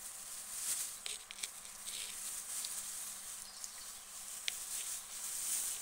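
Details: Several guinea pigs munching lettuce, their bites heard as sharp little crackles and crunches scattered unevenly through a light background hiss.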